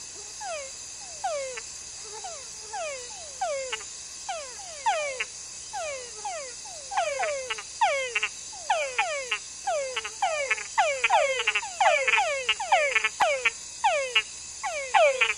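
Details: Several túngara frogs give quick downward-sweeping whines, overlapping in a steady night chorus.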